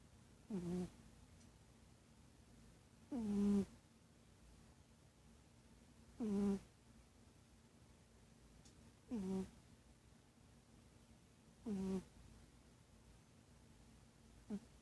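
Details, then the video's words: A sleeping cat snores in a steady rhythm, with short droning, slightly nasal breaths about every three seconds, six in all, each low and tonal. Near-silent background between breaths. "Snoring cat"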